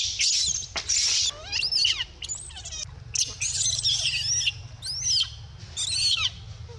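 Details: Dito, a baby monkey with no milk, screams loudly and almost nonstop: piercing, wavering high cries in rapid bursts, some sliding up and down, over a constant low background hum.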